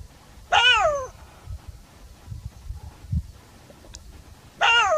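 A jackal gives two loud, wavering wails, each sliding downward in pitch, with a quiet gap between them.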